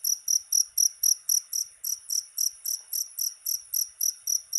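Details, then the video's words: Cricket sound offered as a rat repellent: shrill, high-pitched chirps pulsing steadily about four times per second, each a short buzzy burst, with no other sounds in the background. "SUARA JANGKRIK PENGUSIR TIKUS"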